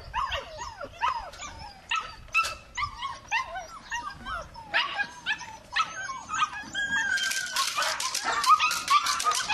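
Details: Belgian Malinois puppy giving high squeaky whines and short yips in quick irregular succession, some sliding whistled tones, becoming denser and shriller toward the end.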